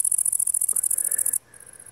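A grasshopper gives a high, rapidly pulsed buzzing, like a fast dry ticking.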